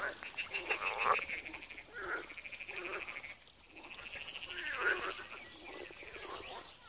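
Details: Frogs croaking in a small pond at Wiry, Poland: several overlapping callers give rattling, pulsed croaks in bursts of about a second, with short gaps between them and a steady background chorus.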